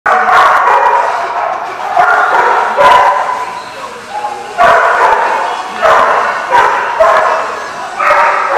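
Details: Dogs barking at The Barking Lot, recorded 9/11/15; loud, rough barks come in clustered bursts every second or so, overlapping one another, with short quieter gaps between volleys.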